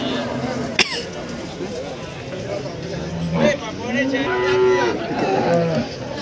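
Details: Cattle at a busy cattle market in Warujayeng, Nganjuk, East Java, during price bargaining: short, fairly faint moos rising and levelling off, with a sharp click near the start and people's chatter throughout.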